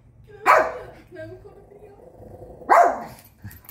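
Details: House dog reacting to a man on the television with two loud, abrupt barks about two seconds apart. A faint low hum continues between them.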